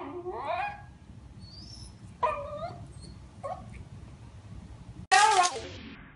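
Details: Corgi, a pet dog, making high, sliding whines in short bursts, with a loud harsh burst near the end and faint room noise.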